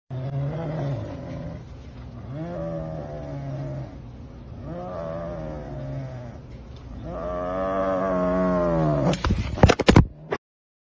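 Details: An angry leopard cat, also called a jungli cat, gives low, drawn-out, growling yowls in repeated bouts that end in a harsh burst.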